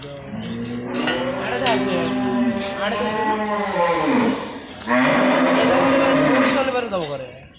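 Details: Cattle on a commercial farm: two long, low, droning moos with rich harmonics, the first swelling and falling over about four seconds, the second louder and shorter, with clinking and people talking in the background.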